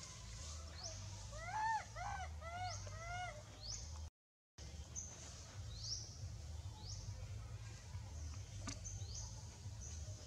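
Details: A young Astra monkey that has lost its mother and troop cries loudly in a quick series of arched, whining calls for its mother.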